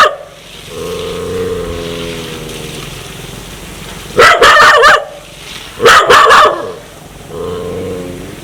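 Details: A dog wanting to bite people gives a long, low rumbling growl for about two seconds, then two loud bursts of rapid barks and a final growl.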